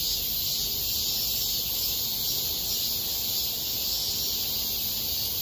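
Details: Summer cicada chorus recorded in August 2021 at Mirae Sarang Park, a small park: continuous shrill buzzing wash, evenly loud, gently throbbing, with nothing else standing out.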